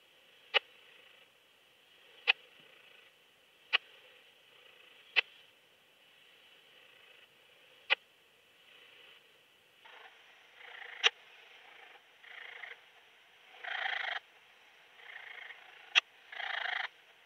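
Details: Kleine Strauchschrecke bush-cricket, Yersinella raymondi, at Lido di Spina, Italy, on 3 September 2021: sharp isolated clicks repeated every one to two seconds, later joined by short buzzy broadband bursts.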